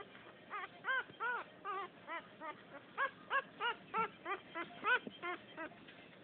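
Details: Chubby female French Poodle puppy from a second litter whimpers while pouting: clear, rounded, harmonic yelps repeat about three times a second in a steady, plaintive series.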